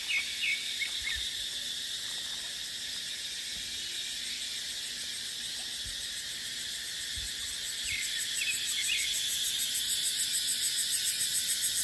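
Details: Cicadas in dry-season dipterocarp forest: a high continuous buzz that swells and begins to pulse rhythmically near the end, with a few short bird chirps and light wind beneath.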